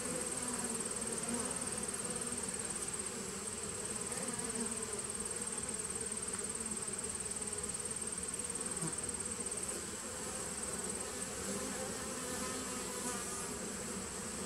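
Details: A nuc colony of honey bees humming on 19 September 2018, a thick, even buzz of many wings with slight rises and falls in loudness.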